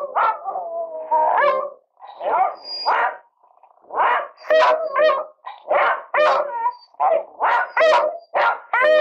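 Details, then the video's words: Two Beagles 'singing' together indoors: a run of wavering, yodelling howls and short yelps, the overlapping bursts coming about once a second, each sliding up and down in pitch with bright, ringing overtones. "Die singenden Bremer Beagle"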